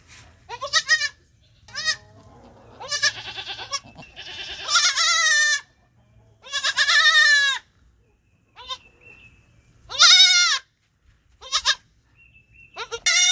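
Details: A young goat bleats in high, quavering cries, some short and some drawn out.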